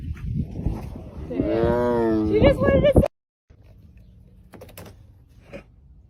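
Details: A male tiger gives a drawn-out, throaty moan that rises and wavers before breaking off abruptly, under blue sky, seemingly complaining a lot as a female tiger approaches.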